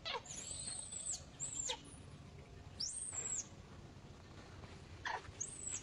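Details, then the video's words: Clinging to an old monkey, a female baby monkey refuses capture by another monkey and screams: long, thin, arching high-pitched wails, each dropping sharply at the end, three to four cries with pauses between. "the monkey refuses, she screams clings to the old monkey"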